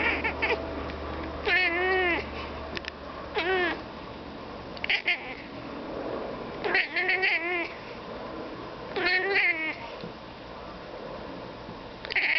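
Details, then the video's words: Domestic cat indoors chattering at crows outside, giving warbling, wavering meow-like calls in short bursts of about half a second. The bursts come roughly every two seconds, with quiet gaps and a low hum between them. "Cat Talking to Birds"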